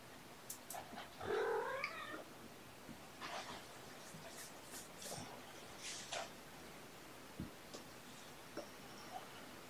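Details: Domestic kittens with their mother Olympia, indoors on the morning of 18 February 2018. A faint, rising, harmonic kitten mew is heard near the start amid soft rustling, tapping and scattered clicks in a quiet room.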